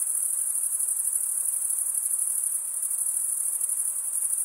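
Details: Cricket chirping, produced by stridulation, forms a constant shrill buzz-like trill high in pitch, rapidly pulsing and steady from start to finish, with the surroundings otherwise silent.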